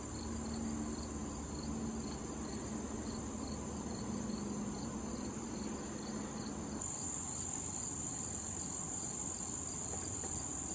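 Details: Late-summer crickets near blooming wild thistle where bees and butterflies feed, giving a continuous high-pitched trilling drone with softer rhythmic chirps; a low buzzing hum fades after about seven seconds and the high drone brightens.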